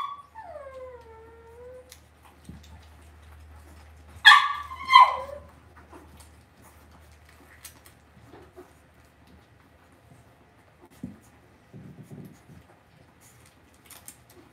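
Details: Cavalier King Charles Spaniel puppies in an indoor home puppy pen give a descending, wavering whine at the start, then two sharp, high yips near the middle. Later there are faint scuffles and a low steady hum.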